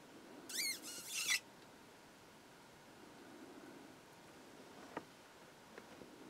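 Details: A dwarf mongoose (Helogale parvula) in Kruger National Park gives a quick burst of shrill, squeaky chirps lasting under a second.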